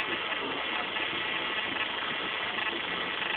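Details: Continuous droning hum like an idling engine, with no animal voice heard.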